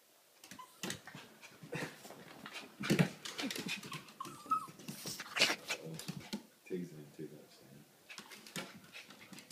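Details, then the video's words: Max, a Pomeranian indoors, begs to be taken for a walk: short high whimpers and a thin whine mixed with scratchy movement noises, while a man talks to him about going for a walk. "Max the pomeranian wants to go for a walk. Better beg dad"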